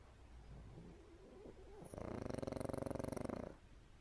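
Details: Pug snoring during an afternoon nap; after a quiet start, a loud rapid rattling snore begins near the midpoint and pulses quickly for about a second and a half before fading back to soft breathing.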